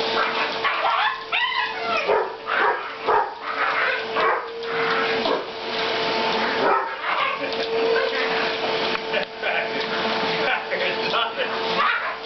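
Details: Pet Welsh Terrier attacking a vacuum cleaner's floor attachment at home, giving repeated sharp yapping barks and whimpers in quick bursts, with the vacuum's continuous humming whine throughout and a brief human voice.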